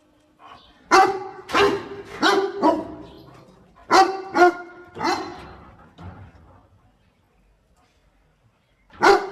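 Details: Dog barking while helping its owner pick water spinach; loud harmonic barks in quick bursts of two or three, with pauses and a fading tail between groups.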